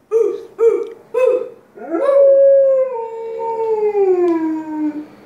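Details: Domestic dog howling indoors: three short yelping barks, then one long sustained howl that holds steady before sliding slowly downward in pitch and fading over several seconds.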